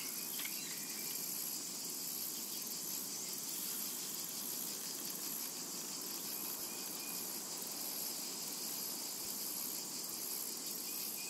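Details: Summertime cicada chorus over a meadow, a continuous hissing, high-pitched drone with a gently pulsing upper layer, holding an even loudness throughout with only scattered faint chirps beneath it.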